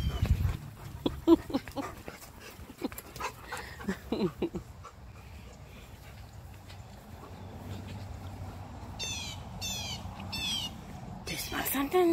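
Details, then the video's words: Husky and Malamute tussling in their morning play-wrestling, giving short sharp yips and whimpers amid scuffling thumps early on, then quieter stretches with birds chirping in the background. "Husky VS Malamute | Wrestling"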